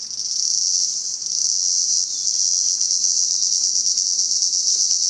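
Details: Cicadas calling in Salta, a steady, unbroken high shrill buzz holding at nearly constant loudness for about five seconds, with no other clear sounds.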